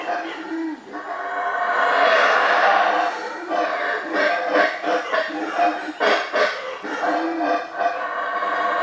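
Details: A troop of howler monkeys in central Belize roar together after spotting people, in a hoarse, droning chorus that swells and holds for a few seconds, then breaks into rapid, rough, throaty pulses.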